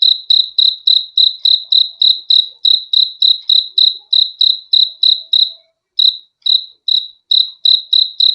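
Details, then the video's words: High-pitched cricket chirps repeat rapidly for several seconds, stop for a short gap, then return more sparsely before regaining pace; crisp pulsed tones, otherwise quiet, shared as calming sleep audio. "BEAUTIFUL SOUND OF CRICKETS"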